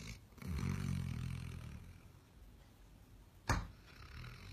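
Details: Sleeping dog snoring loudly: one low, rumbling, harmonic snore lasting about a second and a half, then quieter breathing and a sharp knock near the end.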